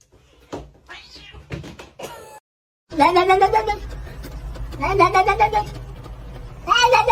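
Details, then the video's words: Kitten meowing, in a home amid talking: after a pause, three loud drawn-out meows with a wavering, rising-and-falling pitch, the first around a second long, spaced a second or two apart, with soft earlier squeaks and background chatter. "kitten meowing call"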